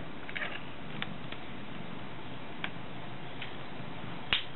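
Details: Steady, quiet indoor hiss with a few faint clicks and one sharp snap near the end, and no voices or calls.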